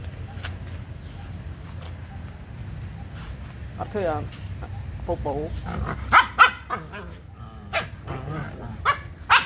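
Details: Small abandoned puppy, hungry and asking for food: quavering whines and sharp yelps, growing more frequent toward the end, mixed with a person talking nearby.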